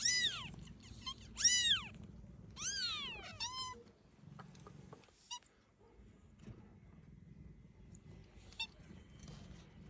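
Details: Domestic cat seen carrying her newborn kitten outdoors: a run of four or five high, arched, whining meows in quick succession during the first few seconds, then near quiet with soft background noise and a few faint clicks.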